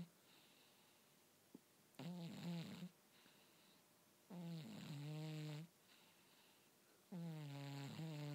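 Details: Snoring cat making repeated grunting, buzzy sounds; three low, nasal snores about a second long, each with a bending tone, separated by quiet pauses of one to two seconds, in a quiet room.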